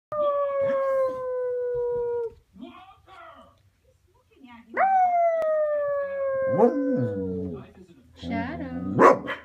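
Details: A male Cardigan Welsh Corgi howls in long, steady tones that sag slightly in pitch before trailing off.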